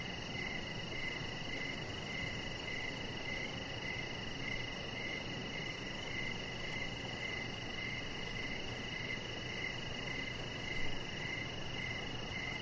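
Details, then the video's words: Crickets heard from a deck in the evening, giving a steady train of brief pulsed chirps about every half second, backed by constant high-pitched insect drone and faint low noise. "Cricket Sounds"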